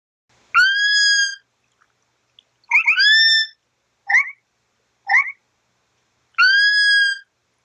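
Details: Sloth giving clear, high whistled cries, each a steady tone with a slight rise at the start, alternating with two shorter downslurred squeaks, five calls in about seven seconds with silent gaps.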